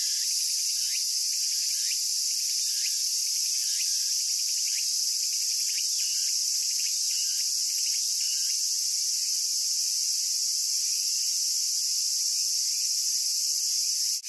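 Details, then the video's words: Japanese cicada song as a steady high hissing drone, with a series of short sharp ticking chirps roughly every second for the first half, then only the even hiss, ending in a brief click. "Cicada Sounds and Cicada Songs with My Cicada-Photos"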